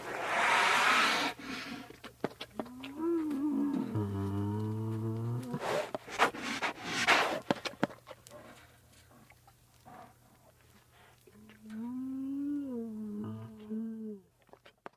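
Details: An American black bear (Ursus americanus) gives low, drawn-out light groans between bursts of breathy sniffing while sniffing and licking.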